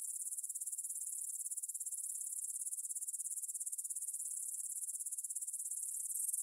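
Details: Shrill, high-pitched stridulation of grasshoppers in a meadow by the Svensky monastery, Bryansk, Russia, on an evening at 9 pm, 6 September 2020, captured on a Tascam DR-44WL: a dense, continuous pulsing buzz holding an even level throughout.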